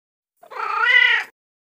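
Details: A single drawn-out cat meow, used to attract cats, under one second long, steady and slightly rising through the middle before cutting off, with rich harmonics and silence before and after.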